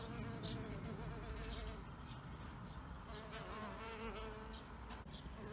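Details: Buzzing bees around an insect hotel: a continuous low hum with wobbling pitch, several overlapping tones rising and falling as the insects move close to the recorder.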